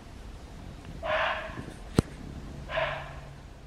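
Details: A red muntjac (barking deer) in a Hong Kong forest gives two short, hoarse, dog-like barks nearly two seconds apart, a call given when it senses danger or during the breeding season.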